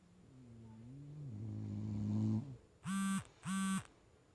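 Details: Sleeping bulldog snores a long, low, rising drone, then a phone goes off with two loud, bright electronic tones in quick succession while the dog stays asleep.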